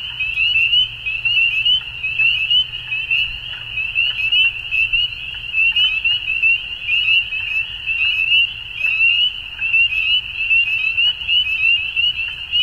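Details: Frogs calling at dusk form a dense, unbroken high chorus. A steady ringing trill runs throughout, with many short chirps overlapping on top of it, and the loudness rises and falls in waves.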